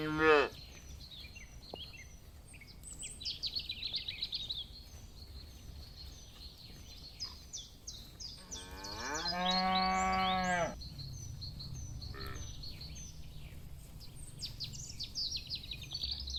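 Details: Cattle from a herd grazing in a green field, enjoying the grass: one long, steady, deep moo of about two seconds mid-clip, with small birds chirping and twittering high above throughout.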